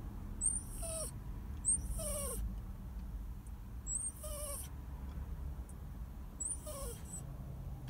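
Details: Sad, crying dog whining in short drawn-out whimpers, four separate falling cries spaced about two seconds apart, each with a thin high overtone, over a steady low background hum.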